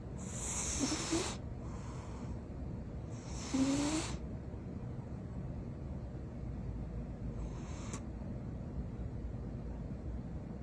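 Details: Sleeping cat snoring loudly in blissful sleep: breathy, hissing rasps come in bursts roughly every three seconds, the second one strongest, over a steady low background hum.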